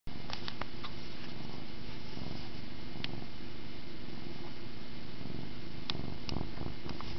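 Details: Domestic cat purring while playing with a camera string indoors; a continuous low rumbling purr with steady pulsing throughout, broken by a few faint clicks and taps.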